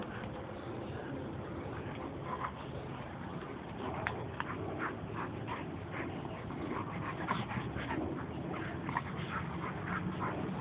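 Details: Pair of pet dogs, a white Italian sheepdog and a pure black Labrador, wrestling; repeated brief whiny yips and whimpers scattered through, with steady low rumbling noise beneath.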